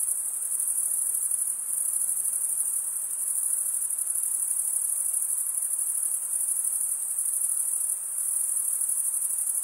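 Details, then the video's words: Continuous high, sizzling chorus of crickets, males stridulating with their wings, steady and even, with slight dips in volume and quiet background hiss. "Most relaxing cricket sound for 8 hours"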